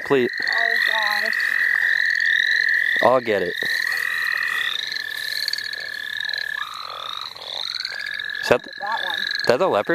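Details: Frogs calling in the St. Olaf College Natural Lands during a frog-catching outing. A long, steady high trill holds for several seconds while quick rising chirps repeat above it. Human voices break in briefly near the start, middle and end.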